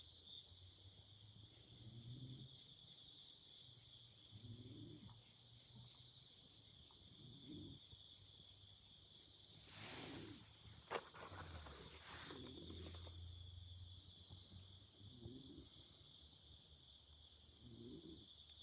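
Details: Autumn insects trilling through the night near a campfire, a constant high shimmering drone in two layers, joined by low rhythmic thuds, a faint low hum and two loud crackling flare-ups partway through.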